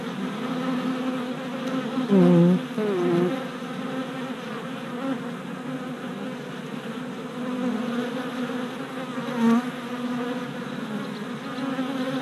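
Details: Many honey bee workers flying orientation flights around a freshly installed hive body in spring; continuous low buzzing swarm drone, with a louder close bee passing just after two seconds and another around nine seconds.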